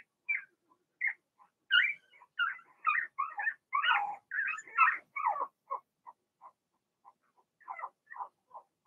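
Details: Litter of six Blenheim Cavalier King Charles Spaniel puppies in an indoor pen, whimpering and yelping in quick irregular runs, a busy cluster of squeals in the middle, then softer scattered peeps.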